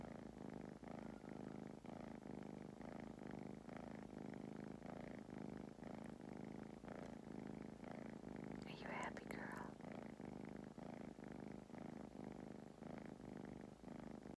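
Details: Napping foster kittens in Huntsville, Alabama, rescued from the Athens Limestone shelter, purr steadily and close; the rumble swells and dips about once a second with each breath, with a brief soft whisper near the middle.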